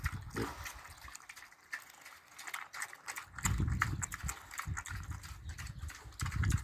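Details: Piglets grunting and chowing while eating: short, low, rough grunts come in bursts near the start, middle and end, over steady wet slurping and clicking chewing noises.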